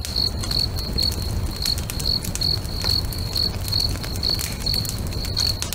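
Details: Crickets singing near a lakeside bonfire at sunset, giving bright high chirps at about 143 per minute in a slightly uneven rhythm, with frequent fire pops and crackles and a low rumbling hum.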